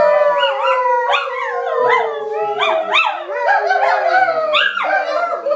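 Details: Chorus howling from a Cairn terrier and a husky, the voices repeatedly swooping upward then trailing down in long wavering tones, roughly one new rise per second, with occasional short yips mixed in.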